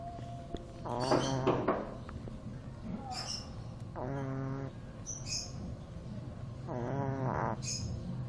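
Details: Snores of a two-month-old Shih Tzu puppy asleep: three drawn-out, reedy, buzzing breaths about three seconds apart, with faint clicks and a soft low hum behind.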